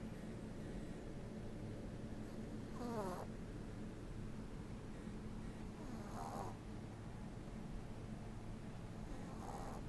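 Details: Ten-week-old Boston Terrier puppy asleep and snoring: three softer rasping snores roughly every three seconds, over a low steady room hum.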